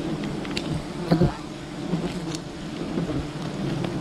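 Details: Bees of a wild colony during honey gathering, a continuous low droning hum of many insects, with a short louder burst of buzzing near the middle and faint crackles above.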